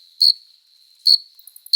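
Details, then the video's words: Adult male cricket singing at night in summer to draw a female, produced by friction of the forewings: three shrill, pulsed chirps spaced under a second apart, linked by a faint high hum. "Som de GRILO cantando | CRI CRI CRI (Cricket Singing)"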